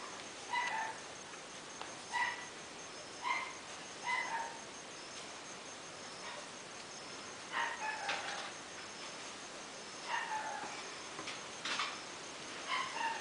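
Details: A faint, thin whimpering from a 55-day-old red male toy puppy, Chilli Pepper Jr. of Quindim. Short high yelps repeat every second or two over steady background hiss.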